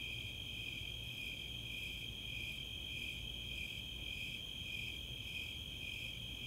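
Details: Summer night at Chautauqua, Boulder, Colorado: a chorus of Four-spotted and Snowy Tree Crickets, a continuous high trill with softer repeated chirp pulses near two per second, and a low rumble underneath.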